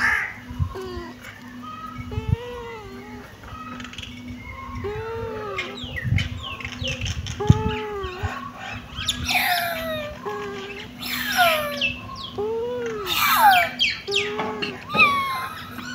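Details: Kitten meows: a series of short arched, harmonic-rich cries spaced a second or two apart, with more calls overlapping and growing shriller near the end over a steady low hum.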